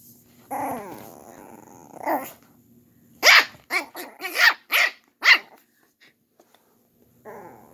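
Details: Pet dog barking at his older sister, another dog, indoors: two growling whines open, then a rapid burst of five or six sharp yappy barks, ending in a low grumble.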